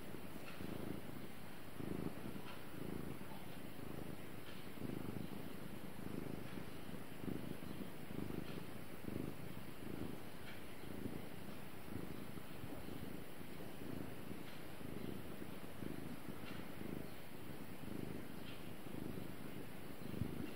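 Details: Steady low rumble from the cat Gara, purring continuously, with rhythmic pulses rising and falling with each breath, close and even throughout, in a quiet setting.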